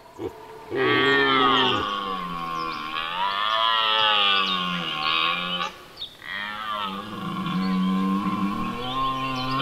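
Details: Dominant red deer stag in Serbia during the rut, roaring to hold his position against rivals while guarding his hinds: long, loud, deep harmonic bellows that rise and then sag, two drawn-out roars separated by a brief pause.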